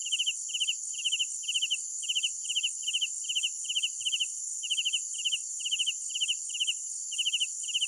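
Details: Crickets at night: rapid pulsed chirps grouped in twos and threes repeat steadily, with a constant shrill background drone of other insects filling the upper range.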